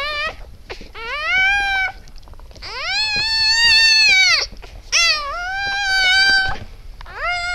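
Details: Siberian Husky newborns, eight puppies whelped on 12 December 2015 around 20:30, crying in drawn-out, arching squeals that swell and fade, four cries with short gaps and soft rustling between.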